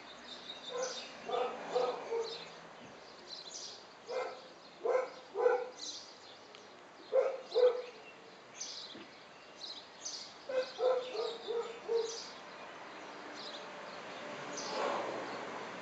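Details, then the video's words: Chrissy, a pet cat, panting like a puppy after 20 minutes of chasing a ball up and down a driveway: quick breathy huffs in bursts of three or four, separated by short quiet pauses, against a soft background hiss. "Kitty cat panting like a puppy"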